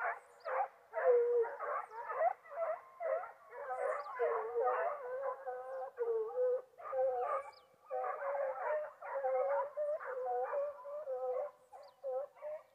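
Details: Foxhounds on a wild boar hunt give continuous baying: short wavering howls follow one another almost without pause for over twelve seconds, rising and falling slightly, against an otherwise quiet background.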